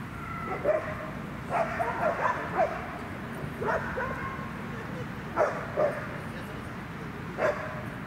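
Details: Dog barking at Newtown Dog Park in Atlanta during high-distraction training, with loose dogs passing; sharp barks come singly and in quick pairs about eight times over eight seconds, with a person speaking and a steady outdoor hum underneath.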